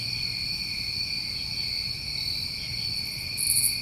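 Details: Summertime New England crickets hold an unbroken shrill drone in several stacked pitches, with one brief, very high buzzy burst near the end over a soft low background hum.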